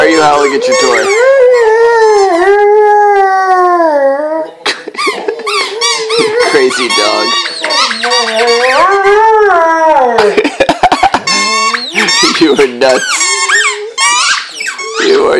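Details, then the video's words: Male Vizsla kept as a pet, howling and whining indoors at a squeaky toy. Sustained wavering howls rise and fall, broken by whimpers, with frequent toy squeaks and a woman's voice asking why he howls. "Silly dog whines and howls at squeaky toy- Vizsla"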